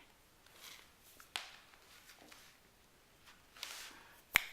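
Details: Quiet room tone is broken by a few sharp snaps and soft rustles, one loud click near the end, with no animal voice.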